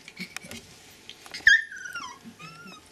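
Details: A Siberian Husky puppy, 20 days old, from a litter born 16 February to Gau and Arkan, gives a clear, high whine that slides smoothly downward, then a shorter, softer whine after faint squeaks and shuffling.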